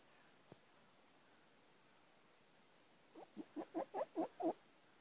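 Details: Three-week-old fox cubs at Bjørneparken, starting to get adventurous: after a single faint click, a quick run of seven short yelping pulses, each louder than the last, over a quiet hiss.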